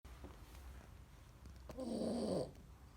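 A Rottweiler gives a single raspy, rumbling snore after a quiet breath.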